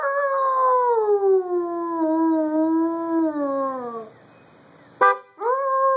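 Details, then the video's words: Dog named Buddy howling at a car horn, one long mournful howl that slowly falls in pitch over four seconds, then a brief horn honk and the start of a fresh rising howl. "Buddy howling at the car horn"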